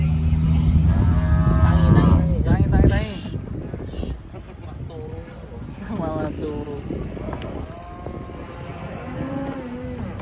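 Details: Angry bull with a broken horn coming off a truck gives a loud, deep, sustained bellow for about three seconds. Afterwards come quieter voices and singing-like sounds with rising and falling tones.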